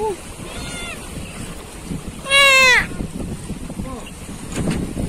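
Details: Dolphin in the Java Sea, giving a loud half-second burst of strongly harmonic, squealing tones that rise and bend, with fainter similar calls before and after, over boat engine hum, splashing water and people talking.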